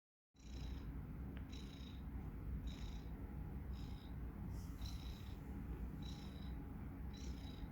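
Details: Tomas, a domestic cat, snoring while asleep: a steady low rumbling drone throughout, with faint higher wheezy bursts recurring roughly every second on each breath.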